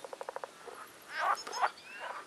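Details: Frogs calling from a pond on a nature trail near Agios Demetrianos, Cyprus, during spring mating season: a quick series of six short clicking pulses, then fainter rasping, buzzy croaks over a soft background.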